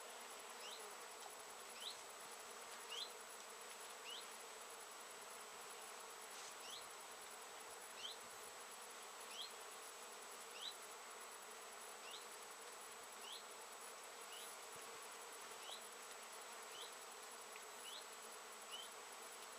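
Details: Late-season foraging honey bees swarm over Japanese knotweed blossoms, 14 September 2013: an even, thick insect hum broken by faint upward-sweeping chirps repeated at irregular intervals.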